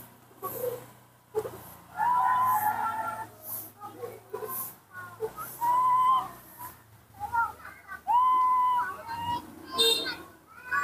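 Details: Nomi, a baby monkey, gives plaintive calls while his father is away. There are long, steady whistled tones and short sliding chirps in irregular bursts, separated by quiet pauses and light indoor background sound.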